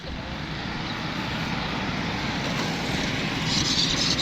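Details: Steady broadband roar of passing traffic or an engine, rising slightly toward the end, with faint voices underneath.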